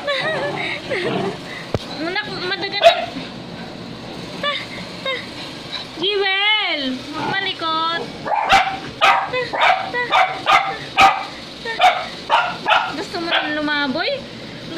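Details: Two-week-old puppy, restless and wanting to roam, gives high, thin whimpers and yips, one long sweeping whine rising and falling near the middle, then a quick run of short squeaky cries, with people talking throughout.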